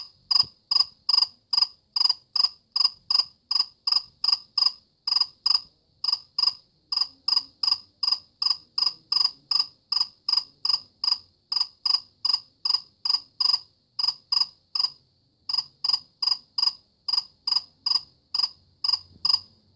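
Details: Cricket calling with a long, even series of sharp, high chirps, about two and a half per second, briefly pausing near the end before resuming.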